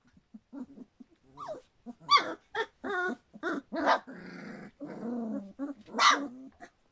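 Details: Three-week-old Standard Poodle puppies from Cantope Standard Poodles whining and yipping continuously: rapid overlapping squeals, rising whimpers and low growly moans, some drawn-out wavering cries, loud and close throughout.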